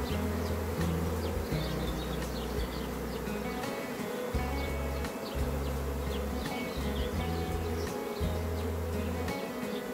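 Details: A natural honey bee swarm leaving a hive and flying, the sixth or seventh natural swarm for a beekeeper who gets one every day. A dense, continuous buzzing hum runs throughout, with a deep droning undertone that pulses on and off.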